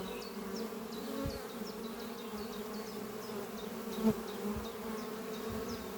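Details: Honey bee workers flying at the hive Doppio, a horizontal hive made from an old French oak chest under trees, on a spring morning. A steady low droning hum runs throughout, with a bird's quick repeated high chirps above.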